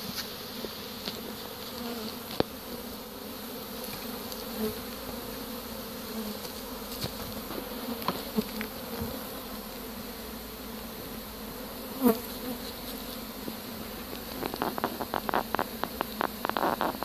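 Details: Honey bee swarm being captured with a pole bucket on 25 March 2015, clustered in a tree; dense steady buzzing hum throughout, sharp clicks and knocks near the end and brief human voice.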